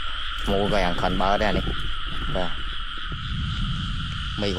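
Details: Frogs in rice fields during rainy weather while being caught by hand: a steady droning chorus runs throughout, overlaid by repeated rough, harmonic croaks in quick bursts, with a man talking nearby.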